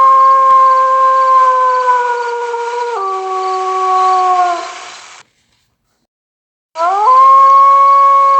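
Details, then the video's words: Wolf howling in long, smooth tones. A sustained note falls in steps and fades out. After a short silence a new howl begins with a quick upward slide and settles into a steady, level pitch. "Dünyanın ən Qorxulu 10 Canavar Ulaması ( Kurt sesi ) ( Wolf howl )"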